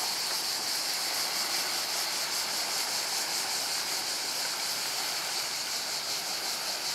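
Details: Seaside cicadas at Portonovo keep up an unbroken high, sizzling drone with rapid rhythmic pulsing, steady in loudness for the whole stretch, backed by gentle waves.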